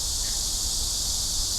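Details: Korean cicada (memi) gives a steady, high, hissing drone over a low rumble in Korean summer, beside the Han River; a traditional summer sound, the male's call made to reproduce.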